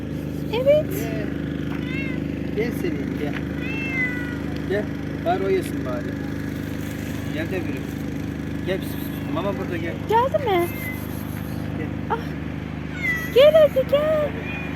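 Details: Cats meowing outdoors while a person calls them over to food; short arched meows come again and again through the clip over a steady low traffic hum and the coaxing voice.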